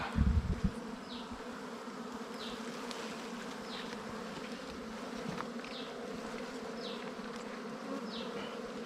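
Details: Wild bees at a nest during a honey hunt, steady dense droning hum of many insects, with a soft falling chirp repeating about once a second above it and a brief heavy thump at the start.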